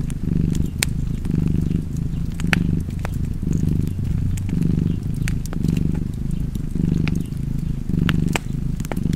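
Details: Low, continuous cat purr with regular breathing swells, about eight in a row, and sharp crackle pops from a fireplace sprinkled throughout.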